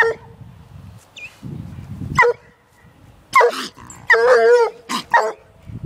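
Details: A one-year-old female Treeing Walker Coonhound barks at a caged raccoon. Scattered sharp barks and one longer wavering bawl near the end, with rustling and handling noise between calls.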